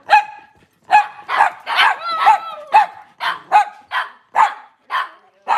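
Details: Cavalier King Charles Spaniel barking steadily in a kitchen on a cloudy Monday morning. Rapid, insistent barks come roughly twice per second, some with a brief rising whine woven through.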